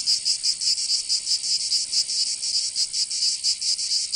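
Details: Summer cicada song from Provence in the south of France: a shrill, high, grating buzz broken into quick uneven throbs, several per second, with no other sounds.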